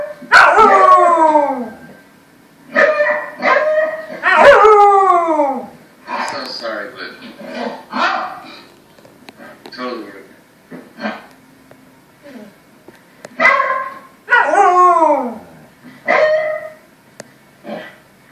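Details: Samoyed howling at the TV: repeated sweeping howls that glide sharply downward in pitch, coming in bursts, mixed with human voices and other household sounds in between.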